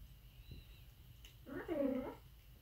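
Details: Aardvark uttering a single short, quavering whine that rises and falls over about half a second, after quiet background hum and a faint click.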